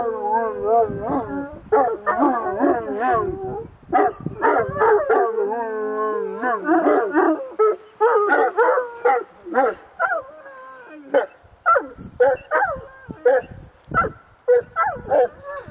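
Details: Several Saint Bernard dogs howl together in what is described as singing: wavering, tonal howls rise and fall in overlapping phrases. Some are long and sliding, others short and broken off, continuing for about sixteen seconds.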